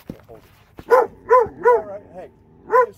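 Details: Two Alabama dogs barking in quick bursts, three arched, tonal barks close together followed by a pause and one more bark, with a soft short yelp between them.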